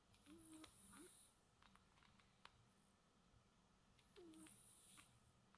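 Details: Soundly sleeping domestic cat snoring at home, a breathy inhale carrying a short low snore, then a pause and another snoring breath about three seconds later, very quiet.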